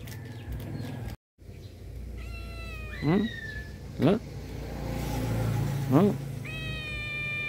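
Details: A black cat lying on its owner's belly gives a few short, rising meows about a second apart. A woman speaks Vietnamese in the background, with a steady low hum throughout.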